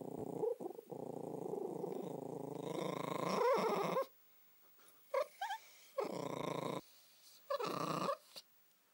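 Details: A long, rumbling moan from Josie, a house Spitz, swells over four seconds and ends in a squeaky rise, followed by a few shorter whining hums and yips.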